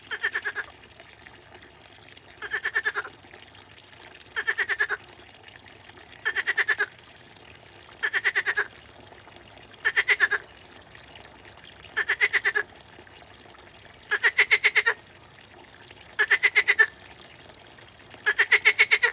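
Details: A frog in the grass gives short, rapid pulsed croaks, repeated about every two seconds.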